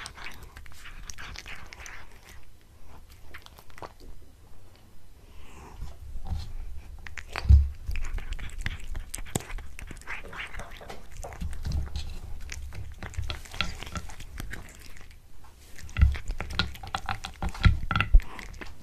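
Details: Domestic cat eating a tuna mini stick, close chewing with scattered sharp bites and crunch bursts, louder clusters near the end, gaps of near quiet between, indoor room hum.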